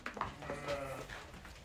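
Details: Bleating from pregnant ewes: one drawn-out, quavering bleat in the middle of the clip, with a sharp knock near the start and faint murmuring in the background.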